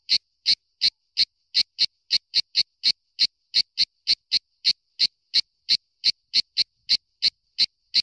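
A cicada sings in sharp, dry chirps repeated about three times a second.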